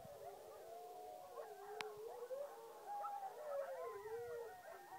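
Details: Coyotes with dogs howling at the moon, a tangle of overlapping voices sliding up and down in wavering, looping howls, continuous throughout, with one sharp click near the middle.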